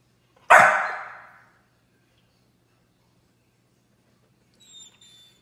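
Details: An angry Chow Chow gives one sharp, loud bark that fades quickly, then a faint high squeak follows.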